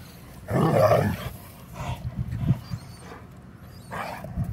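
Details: A Vizsla playing ball gives a loud, rough, throaty growl, followed by softer grumbles and a second burst.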